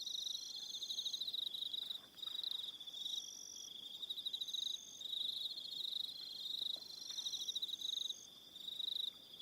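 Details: Evening chorus of crickets on Aroha Island, New Zealand, a dense high rapid pulsing trill that runs almost continuously, dipping briefly near two seconds and again near eight, with higher overlapping trills switching on and off.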